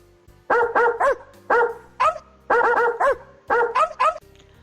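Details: Dog barking, played in a children's lesson on animal voices: four bursts of sharp, repeated barks, mostly doubled or tripled in quick succession, with soft background music underneath.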